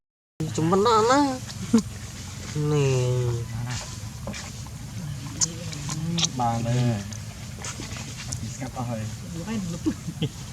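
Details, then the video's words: Baby monkey crying for milk, filmed on a Nikon P900 camera; wavering, warbling cries in stacked tones come in bursts near one, three and six seconds, over a low rumble with Khmer speech nearby. "Little monkey’s heart aches for warm milk love"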